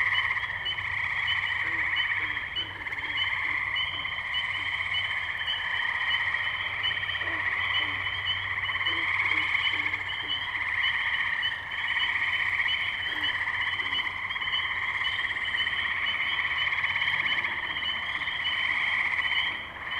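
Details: Twenty seconds of a May 6, 2023 tree frog chorus at the wetlands in Firestone Park, Columbiana, Ohio, via Zoom H2n: an unceasing mass of bright overlapping trills, with scattered short lower calls in the background.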